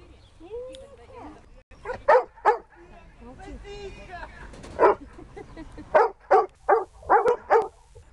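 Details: Siberian Husky during search and rescue training; a man talks at first, then the dog gives loud, sharp barks, a pair near the start and a burst of about six in the last three seconds.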